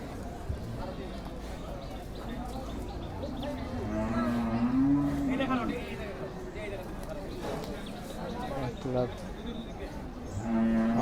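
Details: Cattle at Chupair Hat market in Bangladesh, 2024 Eid season. Men talking throughout, with a low bovine moo rising and falling midway and another short low call at the end amid market noise.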